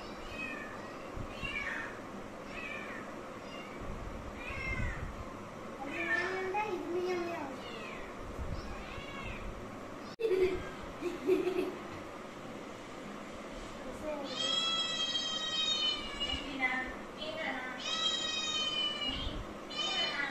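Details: Domestic cat meowing repeatedly, short rising-falling meows early on, then two long, drawn-out, strongly harmonic meows near the end, with people talking throughout in a small indoor room.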